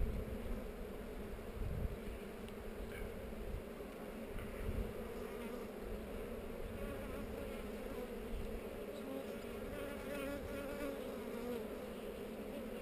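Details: Honey bees buzzing at a hive among heather during an inspection, filmed with a GoPro; a steady, even hum with two layered tones, one low and one higher, continuing throughout with faint rustling underneath.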